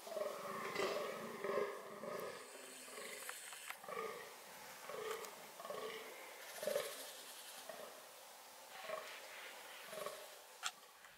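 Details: Fallow deer shown during reproductive behaviour, giving a run of harsh, throaty groans with buzzy harmonics. Each is short and they come roughly once or twice a second over eleven seconds, with faint clicks and rustling between them.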